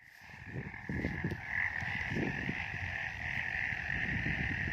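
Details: Frogs calling on a misty mountain, a steady high-pitched trill over low, rough croaking pulses.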